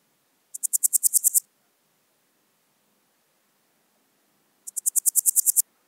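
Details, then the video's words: Swiss gold grasshopper, Wildhaus, Switzerland, 7 October 2022: two crisp, high-pitched rattling bursts of around ten evenly spaced pulses, each under a second long, four seconds apart over quiet background. "Podismopsis keisti -- Schweizer Goldschrecke -- Swiss Gold Grasshopper"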